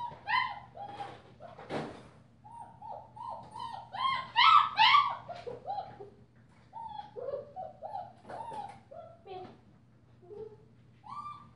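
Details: Female German Shepherd puppy, five weeks old, with a purple collar, gives repeated squeaky whimpers and yelps in quick irregular bursts, some sharper and higher, plus a brief knock, in a quiet room.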